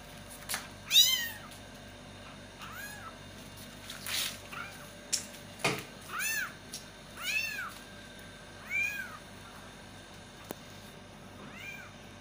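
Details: Kittens meowing loudly to call their mother: a run of about eight rising-then-falling, harmonic-rich meows, spaced roughly a second apart, with faint clicks and a steady low hum indoors.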